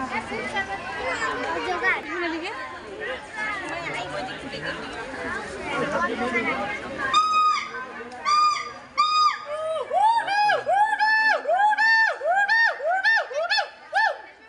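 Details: A gibbon at the national zoo in Dhaka, described as African, gives a series of loud, swooping, human-like whoops that quicken and rise, after a stretch of chatter from the crowd watching it.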